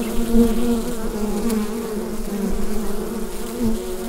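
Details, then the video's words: Bees buzzing inside a hive, recorded on a Rode NT-USB microphone: a steady, dense low hum with two sustained droning tones, unbroken for the whole stretch. "Bee Hive Sound Effect"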